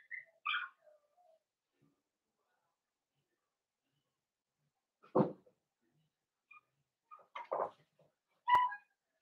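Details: Cavalier King Charles Spaniel puppies, a blenheim litter of five in a home puppy pen, give sparse soft whimpers and squeaks, mixed with dull knocks and a sharp click from movement in the pen.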